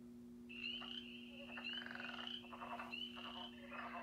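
A mixed frog chorus: high, sustained trilling notes recurring about once a second over pulsed croaks.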